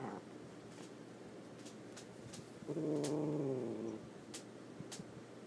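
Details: Indoor pet cat Bosco, upset after relocation to a bedroom and offered catnip in a sock, lets out a single moaning yowl lasting about a second, with faint clicks and taps around it in a quiet room.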